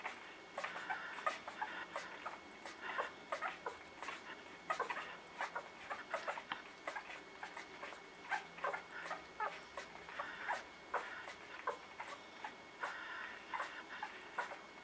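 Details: Newborn puppies in a litter keep up constant soft whimpers and thin squeaks, many short cries overlapping irregularly from several pups throughout, quieter bursts mixed with louder peeps.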